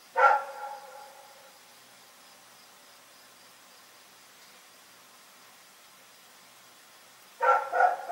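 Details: Rex, a dog, barking at night: a loud harsh bark opens, then about six seconds of quiet before a rapid double bark near the end, no other sounds.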